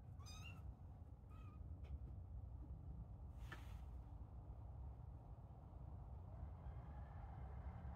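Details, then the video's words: Young kittens at play give two short, high, thin meows near the start, then fall quiet against a steady low background hum. "Play with little kittens"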